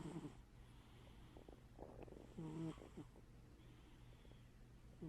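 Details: Domestic cat snoring while asleep with one eye open; soft, low, throaty snores with a faint rasp, about every two and a half seconds, over a steady low electrical hum.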